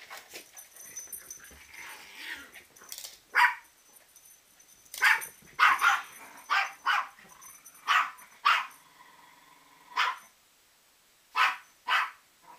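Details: Rat Terriers, kept as pets, giving sharp barks and yips at an irregular pace, roughly one every couple of seconds, over a faint steady background hiss.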